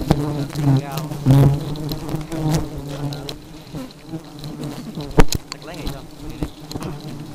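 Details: Aggressive honey bees droning in a steady low hum, with overlapping swooping tones as individual bees fly past close by and sharp clicks and knocks throughout.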